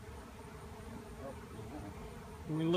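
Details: Honeybees from a tree cutout turned into a swirling swarm; even low hum of many bees, joined near the end by a person's voice.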